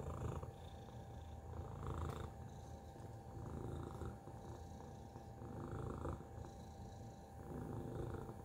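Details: Domestic cat Tacy purrs steadily, a deep throbbing rumble that rises and falls in loose waves about every two seconds, with a thin constant electrical-sounding tone underneath.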